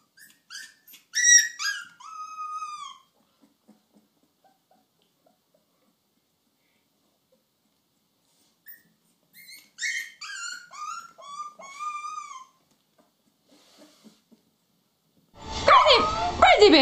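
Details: Puppies whimpering in thin, high, falling whines that come in two short spells separated by several seconds of quiet, ending in a loud burst of broadband noise.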